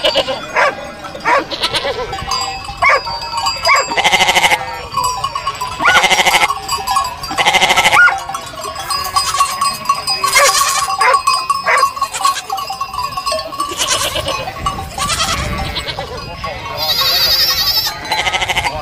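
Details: Herd of sheep bleating, with many overlapping wavering bleats from several animals in quick succession throughout, some higher and thinner, others lower, over a steady background hum.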